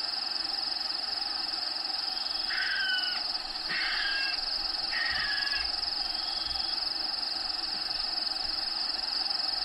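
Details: Crickets inside a bearded dragon vivarium: an unbroken, steady high-pitched trill runs through the whole recording. Three short, harsh caws from a bird break in near the middle, each lasting under a second.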